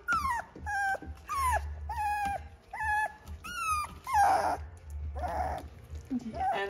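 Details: A young Doodle puppy with no teeth yet, in its "pterodactyl stage" and just starting to bark, gives squeaky, falling yips and whiny growls in quick bursts while playing with its littermates.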